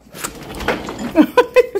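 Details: Siberian Husky Miko, excited after spotting a cat that has already gone, straining toward food thrown outside. Four quick, high, yelping whines come in the final second, falling slightly in pitch. Indistinct talk and rustling come before them.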